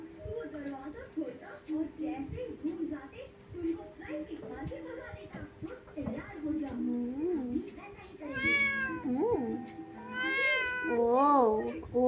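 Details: Cat indoors mewing insistently, several loud drawn-out meows in the last four seconds, each bending up then down in pitch, after a stretch of soft Bengali talk from a person comforting it about the cold.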